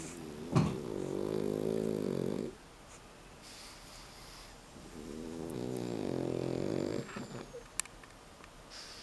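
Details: A 9-month-old male Pekingese, awake and being held, makes two long, rattling, snore-like snorts of about two seconds each, seemingly from feeling content.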